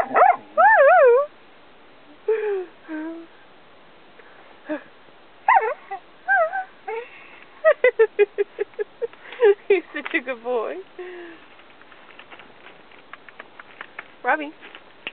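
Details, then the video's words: Robbie the Australian Cattle Dog answers prompts to speak on command with wavering, warbled whines, then a quick series of sharp yips and wobbling howl-like sounds, fading into softer rapid clicks and yips. "Talking with an Australian Cattle Dog"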